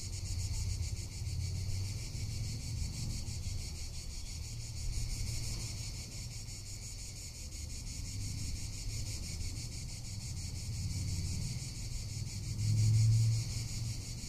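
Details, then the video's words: Cicada calling in summer in Tuscany: a continuous high, hissing buzz that throbs in rapid even pulses, roughly three a second, over a low rumble of wind on the microphone. "Cicada or Cigarra - Sounds of summer in Tuscany"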